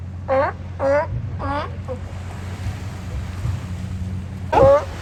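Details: Sea lions lounging on the beach at Oxnard, California: three short harmonic barks in quick succession, a pause with only faint surf-like background noise, then one more loud bark.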